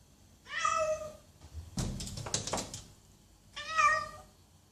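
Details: A cat gives two clear meows, each under a second and rich in harmonics, separated by a burst of knocking or thumping sounds indoors.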